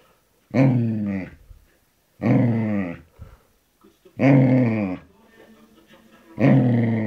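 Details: Samoyed and Border Collie cross dog growling indoors: four loud, rough, voiced growls of about a second each, spaced roughly every two seconds, with faint background noise between them.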